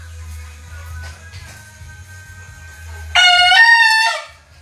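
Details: A tough bekisar rooster, a green junglefowl hybrid, gives one short harsh crow of about a second after three seconds of quiet low hum and faint background sounds.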